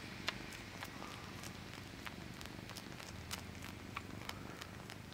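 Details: Male pet cat sucking his paw, a low steady purr rumbling beneath sharp wet clicks and smacking sounds repeated roughly every half second, indoors and close up.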